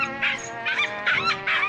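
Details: A dog's squawking on walks, which comes from anxiety and overload when he sees people or other dogs. Four rapid, shrill, harsh squawks over steady background music.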